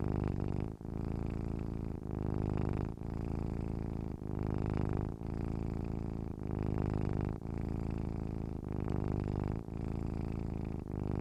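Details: A deep, continuous cat purr, buzzy and low, cut by a brief gap roughly every second over the whole stretch, in a calm, regular rhythm.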